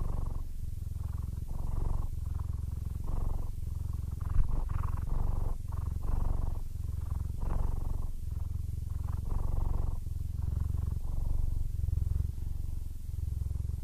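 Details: Happy purring by an old, nearly blind male Siamese cat named Aris, aged 15. A continuous deep vibration swells and eases in regular breath-length cycles, with a single small tap partway through.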